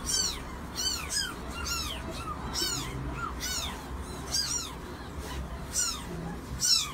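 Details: Cat family of mother and kittens: a rapid string of high, thin, downward-arching mews, several overlapping and repeated roughly every half second, with a steady low rumble behind them.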